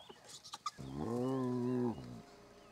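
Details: Spotted hyena at a family den in Kruger National Park, South Africa, amid the commotion of relatives returning to a mother and cubs; a single steady, low, droning groan of about one second, after a few soft clicks.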